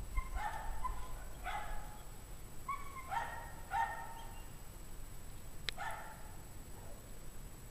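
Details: Pack of dogs barking outdoors at 5 PM on January 9, 2009, in 17-degree Fahrenheit cold; unhappy dogs possibly reacting to stress, fear, loneliness, cold, pain or hunger. Distant, harmonic barks in irregular bursts over a steady low rumble.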